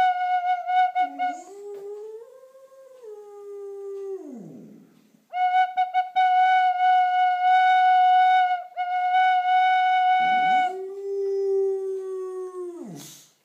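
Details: A boxer named Taz howls along to a tin whistle, the dog's wavering, sliding voice rising and falling beneath steady, sustained whistle notes, with howls breaking off between phrases and ending in a drooping slide.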